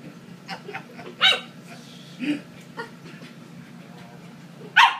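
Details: A 12-week-old Corgi puppy playing with a boy gives a few short, sharp, high-pitched yips over a low steady hum.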